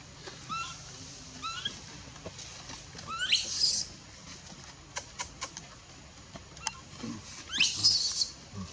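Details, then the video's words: A baby monkey at Bayon, refused milk and pushed off by its mother, cries. Short upward-sweeping whines build into two piercing, noisy shrieks about four seconds apart, with faint clicks between them. "Super sad baby monkey is crying when her mom is try pushing her out for reject milk"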